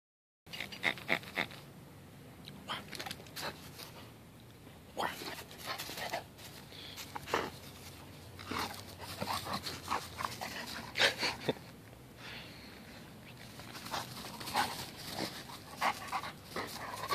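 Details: An almost 16-month-old male English Cream Golden Retriever, 65 lb, plays excitedly with a new hedgehog stuffed toy on a lawn, huffing and snorting in short bursts, with squeaks and a person talking nearby.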